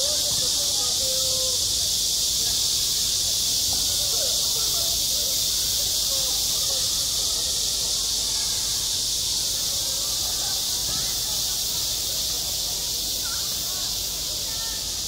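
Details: On a school playground in high summer, cicadas keep up a loud, even, hissing whine throughout, steady in strength, with occasional soft children's voices far off.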